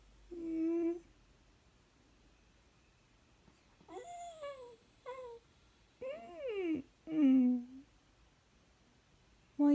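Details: Bailey, a black miniature dachshund, whines indoors to get his owner out of bed and wanting attention: a run of five or six clear, tonal cries, some sliding up then sharply down, separated by short pauses, with faint tag jingles.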